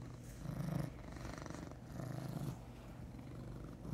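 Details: Low, even purring from Huey, a large male brown tabby pet cat, the rumble pulsing gently with each breath and swelling slightly at the end.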